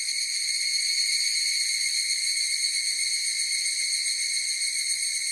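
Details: Higurashi cicada chorus heard as a continuous high, pure ringing with a stack of overtones and an irregular slight wavering in loudness; no other creatures or noises.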